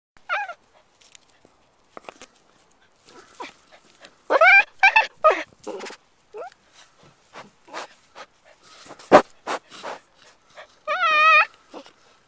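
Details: Three young cats playing together in their play area, giving repeated short whining cries with a wavering, rising-and-falling tone. Several louder bursts come mid-recording, with soft clicks and rustles in between.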